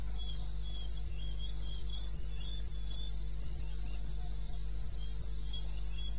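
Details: Eastern Botswana wilderness at night, 21 May 2016, about 2:30 AM, with crickets giving steady high-pitched chirps near two per second, a second fainter caller slightly lower, and a droning low background noise.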